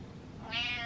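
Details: Cat following its owner indoors gives a short, bright meow that swells suddenly and slides slightly downward, harmonic and clear above a faint low hum.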